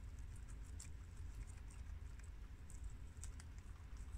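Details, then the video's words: Four domestic guinea pigs of American, long-haired Mini Yak and Abyssinian breeds munch washed romaine lettuce from the garden: dense, rapid crackling bites with a few louder crunches, backed by a continuous low drone. "Adorable Guinea Pigs Eat Romaine Lettuce for 10 Minutes!! Cute Munching Sounds!!"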